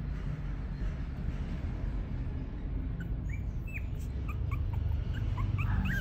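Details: Chiweenie puppy offered by a breeder whimpering with thin, high, rising squeaks that come in scattered bursts toward the end, over a continuous low droning background.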